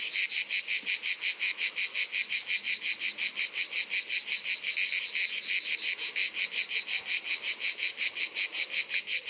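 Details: Ash cicada, the proud Provençal cicada, calling in summer: shrill rasping pulses repeated fast and very regularly, roughly five each second, a powerful unbroken rhythm.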